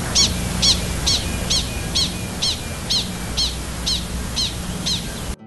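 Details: Gunnison's prairie dog; alarm call; warning of a coyote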